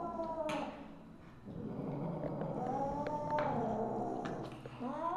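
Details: Misu, a Siamese (Wichien Maat) mother cat, recorded 2 January 2015 at 8:18 PM, gives drawn-out harmonic meows that bend upward then slide down, one long wavering call in the middle, with sharp clicks and knocks around her.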